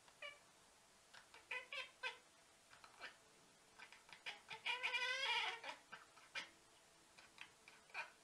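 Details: Domestic cat making weird noises: a run of short, chirpy, trilling calls with harmonic stacks, repeated irregularly, swelling to a longer warbling trill midway, then more brief chirps.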